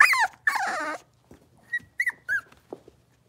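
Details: Puppy whines from a litter of five blenheim Cavalier King Charles Spaniels born at New Year's, moved to a larger pen: two long drawn-out descending cries, then a few short soft squeaks and thin whistles before quiet.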